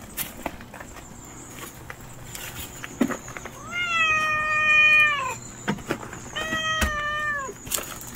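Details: Two long, level meows from Nureongi, a fearful mother stray cat. The first is a sustained cry of nearly two seconds that falls slightly at the end, and a shorter one follows. Clicks, taps and distant hum sound around them.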